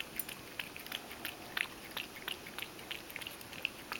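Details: Milk being lapped by Mojio, a Ragdoll cat, with plenty spilled. Quick moist clicks and slurps arrive in an irregular stream, one louder smacking lap midway, over gentle background noise.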